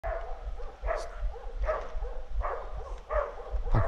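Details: Hunting dogs on a wild boar hunt give mid-pitched, harmonic barks spaced under a second apart, in a steady run of about five, over low rumbling background noise.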